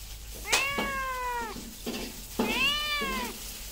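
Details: Two long, loud cat meows, each starting sharply and then sliding gently downward, separated by a short pause and soft thumps.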